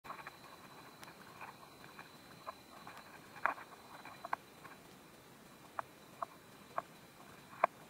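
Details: Praying mantis eating a wasp: sparse, sharp crunching clicks, roughly a dozen spread over eight seconds, growing louder and crisper toward the end over a quiet background.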